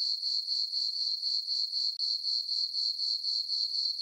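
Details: High, ringing cricket chirps from a moonlit farm meadow on a summer night, pulsing rapidly and regularly about four times each second, briefly cutting out for an instant near the middle.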